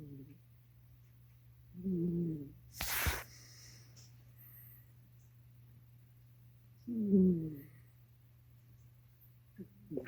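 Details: Cat snoring, with low, rumbling breaths rising and fading about every five seconds, and a sharp, noisy burst like a sniff or sneeze after the first snore over a steady low hum.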